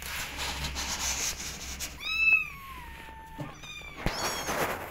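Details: Kitten meowing to go out and explore: after a second of room noise, one long plaintive mew slides slowly downward, followed by a shorter cry and a knock.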